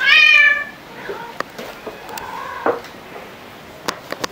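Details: Pet cat, either Luna the black cat or Angel the tabby, indoors: a loud, high meow with stacked harmonics in the first half second, dropping away, then a soft lower meow and scattered clicks and taps.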